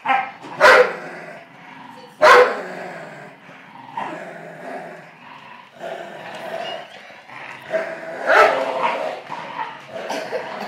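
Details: An older Amstaff and a pit bull puppy in a tug-of-war game, with continuous low rumbling growls broken by three sharp, loud barking snaps.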